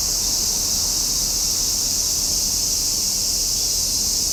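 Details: Summer cicadas in a dense chorus, a steady high-pitched shrill hiss that holds without a break, with only a faint low rumble underneath.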